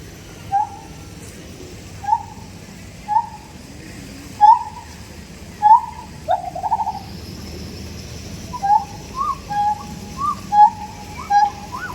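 A siamang gives short hooting whoops that quicken into a faster run of rising notes.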